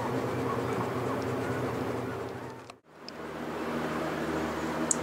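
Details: Indoor fan-like hum with faint murmuring fades briefly near the middle, then returns.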